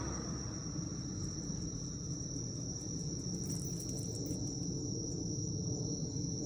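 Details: Autumn night insect chorus of crickets in Japan, evening of 19 September 2024, captured on an iPhone during time with a dog: continuous shrill ringing tone holding steady, with a heavy low rumble beneath and faint clicks.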